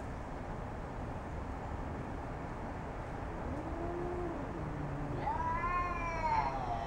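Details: Domestic cat Jasper facing off with a neighbourhood cat; after several seconds of steady background rumble, a low moan gives way to a rising, wavering higher yowl near the end.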